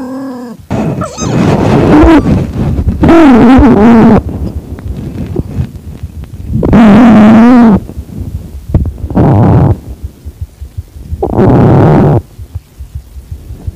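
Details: Calico-tabby cat in heat, kept as a pet and accepting a newly found calico kitten, filmed at home on 8 September 2021 around 6:30 pm. Five loud, low, wavering yowls, each drawn out for one to two seconds, separated by short pauses.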